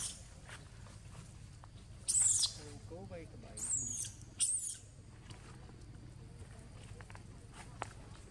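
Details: Monkeys, three females attacking the mother Rose and her baby Rex: two shrill, high-pitched screaming bursts, the second longer and broken into several pieces, over a low murmur of background noise.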